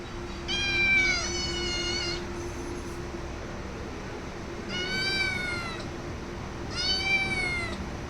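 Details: Domestic cat meowing: three drawn-out, harmonic-rich meows, the first long and wavering, then two shorter ones about two seconds apart, over a steady low hum.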